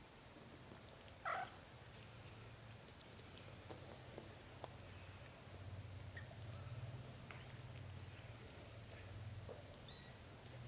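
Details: British Shorthair mother cat holding a dreaming kitten while her other kittens drink milk; steady low purring rumble runs throughout, with one brief higher squeak near the start and faint indoor rustling.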